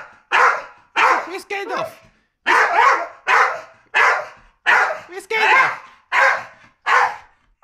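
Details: Male Staffordshire Bull Terrier reacting with a run of barks, about a dozen sharp bursts in under eight seconds, some doubled and unevenly spaced, with a person's voice mixed in among them.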